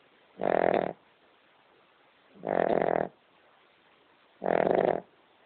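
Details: Loud, gravelly snores from Amber, a King Charles Spaniel deep asleep; three evenly spaced rasping breaths, one every two seconds, buzzing and rich in overtones.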